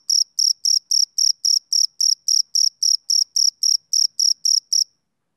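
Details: A male cricket chirps on a summer evening, its sharp, ringing pulses coming about four per second before stopping abruptly near the end, followed by silence.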